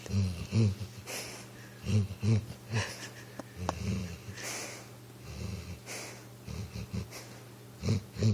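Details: Recchi, a pit bull asleep on a couch and dreaming, snores indoors: low, wheezy, snorting breaths in uneven bursts, some paired close together, with soft room noise between them.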